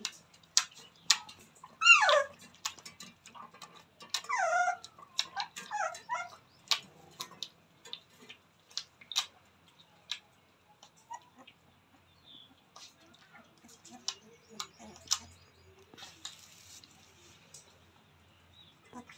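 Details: Newborn Rottweiler puppies at play: a few high, falling squeaky whimpers early on, then mostly sharp clicks and rustling with faint soft cries.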